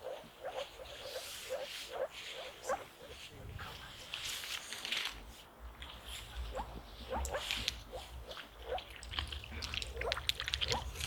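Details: About 20 moor frogs (Rana arvalis) call at a wetland site in Uppsala county, Sweden, in spring in rainy weather, giving soft, low, bubbling notes in quick repeated runs while a person talks.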